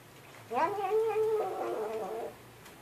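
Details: House cat giving a single clear, drawn-out meow of about two seconds, strongly tonal with a slight pitch wobble, heard indoors.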